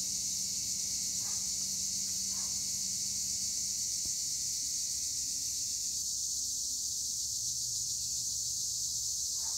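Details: Tree crickets (Acheta assimilis) in olive trees at Güre, Edremit, Turkey, keep up a dense, unbroken high shrill chorus. Faint brief lower notes come near the start, along with a single soft tick midway.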